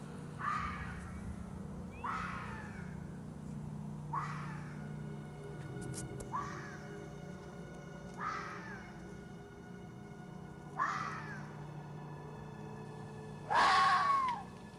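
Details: Red fox; mating call; attracting a mate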